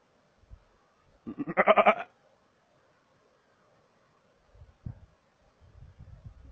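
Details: Markhor in Chitral Gol National Park, Pakistan, giving a single loud, wavering bleat lasting under a second, pulsed and nasal, followed by faint low rustles and thumps.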